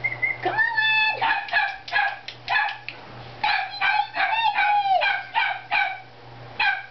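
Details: Six-week-old Havanese puppies from Oreo and Reddy's litter give a rapid run of high, harmonic yips and whines, some sliding downward, in quick bursts, with a steady low hum underneath.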